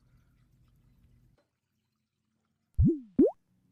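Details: A low hum gives way to silence, then two quick rising plop-like sweeps, with no animal voice anywhere.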